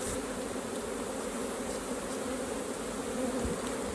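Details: Honey bees at an open hive during a raw honey harvest make a steady, dense droning hum. The low and mid tones hold even throughout, with no other clear sounds.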